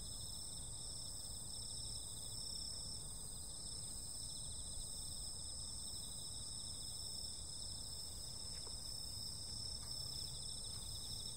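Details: Night insects in summer keep up a dense, even chorus of high pulsing trills at several pitches. A few faint clicks come near the end, and a low rumble sits underneath.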